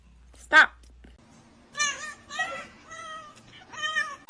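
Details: A cat in an indoor room gives several drawn-out harmonic meows, each about half a second, spaced through the recording after a short sharp click at the start.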